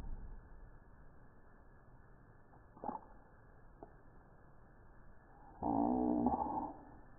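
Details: A Maine Coon cat sneezes or coughs: a sharp, brief burst, then a short, throaty, voiced sound like a cough, the breed's reported "mac" reaction.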